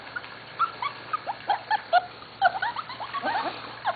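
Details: Several Corgi puppies almost seven weeks old, from the Katie and Venus litters, squeak and whimper over one another in short, scattered high chirps, a busy, overlapping chorus from the group.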